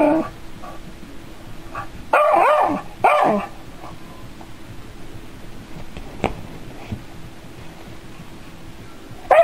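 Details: A dog, wary of a robotic cat, lets out two loud close barks near the start, then falls quiet apart from a faint click and a final short yelp at the end; faint indoor hum throughout.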